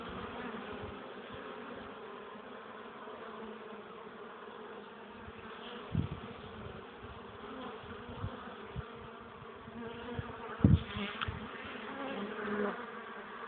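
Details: Honey bees busy at the hive with pollen loads on a chilly, windy April afternoon in 2013, 12 °C at 1 pm. An even, droning hum of wings runs throughout, with occasional gusts thudding against the microphone.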